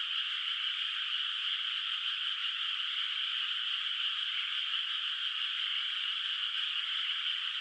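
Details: Distant frogs calling at night across a moonlit countryside rice field whose water is not yet planted; the voices merge into a steady, dense, high trilling wash with no separate croaks and no other sounds.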